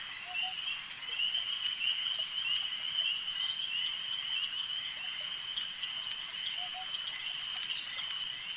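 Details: Frogs calling at a lake: a dense, steady high-pitched trilling chorus runs without pause, with a few faint lower chirps scattered through and a soft background hiss.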